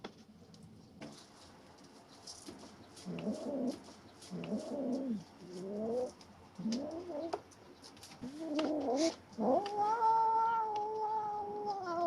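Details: Three-month-old kittens contest a rat snake one of them caught. Several short, wavering growled moans come in bursts, then a long sustained yowl holds steady for about two seconds, with clattering and rustling throughout.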